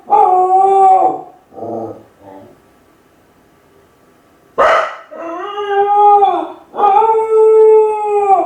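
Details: Lonely Kai Ken dog alone at home, howling to call its family back. Long wolf-like howls rich in overtones are broken by short softer notes. A single sharp bark comes midway, then two sustained howls follow in quick succession.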